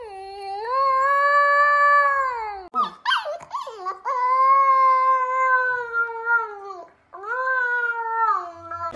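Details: A Husky's loud, drawn-out wailing howl, steady and harmonic, broken by a sharp squealing yelp, then resumed in long wavering cries.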